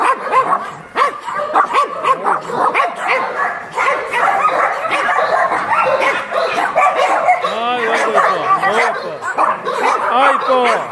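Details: Many abandoned dogs barking together at a Yangsan shelter for abandoned dogs: rapid overlapping barks and higher yelping yips, some rising and falling, forming a constant noisy din.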